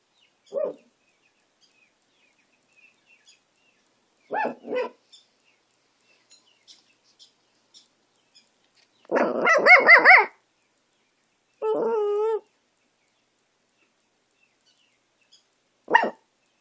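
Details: Pet dog howling and barking: short sharp barks near the start and end, a wavering warbled howl around nine to ten seconds, then a steady held howl note just after; otherwise quiet background.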